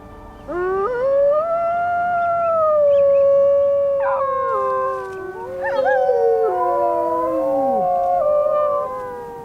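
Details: Gray wolves (Canis lupus), a mother with her pups, howl together in long, smooth, wavering tones that rise, hold and slide downward in overlapping voices; the howl serves pack communication and bonding as pups learn to howl.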